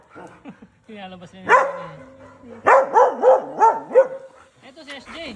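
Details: Belgian Malinois dogs Luna and Dax, pets at home, give a run of high, wavering yips and whines, about five rising-and-falling cries in quick succession, with people talking and laughing nearby.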